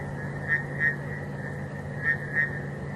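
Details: On an 18 November evening drive at Djuma, South Africa, frogs call at night with short, ringing notes in spaced pairs over a steady low hum, alongside crickets and insects.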